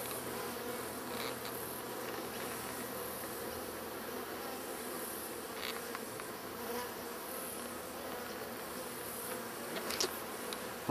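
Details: Bees in a hive inside a hollow tree stump beside a path, building comb out of the open stump end and easily stirred up, during a 2011 hive removal: a steady, dense droning hum throughout, with a few faint clicks and taps near the end.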